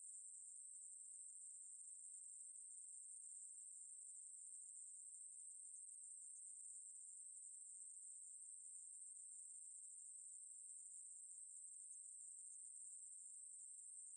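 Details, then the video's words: A Ruspolia katydid sings a long, sustained, sizzling buzz at a high, unchanging pitch, with uniform loudness and no gaps. Nothing else is audible. "매부리, 여러번 듣기, 곤충소리"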